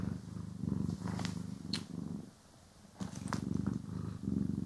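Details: Cat purring while groomed and brushed, recorded in stereo: rumbling purr pulses that stop for about a second mid-way and then resume, with sharp brush scrapes and ticks near the pause.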